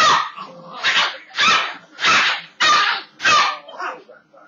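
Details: Very loud barking from Cujo, a pet rat terrier, as he is teased with a broom he dislikes: six sharp, harsh barks in a steady run about every two-thirds of a second, the last trailing off into a softer yip.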